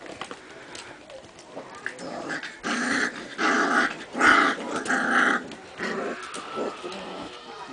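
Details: Apricot and red Standard Poodle puppies, four weeks old, playing together; bursts of rough puppy growls and whines come in pulses about a second apart, with soft background noise between them.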